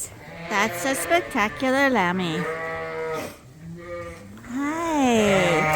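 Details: Young Suffolk lambs in one mixed group in a barn at Ewetopia Farms, bleating in rapid quavering calls, then a longer rising-and-falling bleat, set against a quiet steady background hum.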